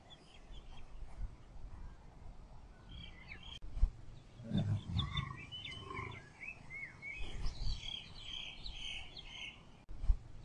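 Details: Male lion and lioness during mating, one of four matings: a brief deep snarling growl rises near the middle over faint low rumbling, surrounded by busy high bird chirps and twitters and constant outdoor noise.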